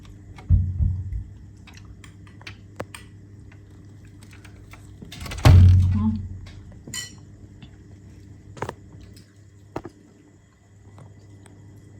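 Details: Indoor room tone broken by a few dull thumps and light clinks, with no animal voice.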